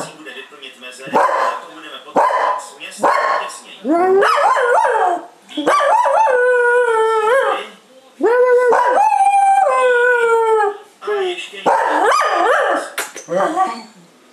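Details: Household female Cocker Spaniel howls repeatedly, drawn-out tones that bend up and then sag downward, about four long howls separated by short gaps and interspersed with rough, broken yelping bursts.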